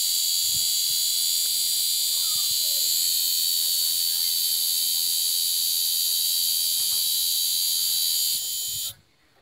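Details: A chorus of cicadas in an aroeira tree gives a shrill, even, high-pitched drone for most of the stretch, with a faint bird note or two beneath, then cuts off abruptly near the end, leaving quiet.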